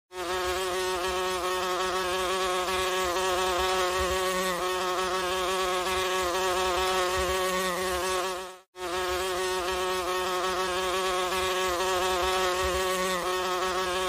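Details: Horse fly with yellow eyes bearing tiny black spots: a steady, loud, droning buzz rich in stacked overtones, holding an even pitch throughout, broken once by a brief silent gap before resuming unchanged.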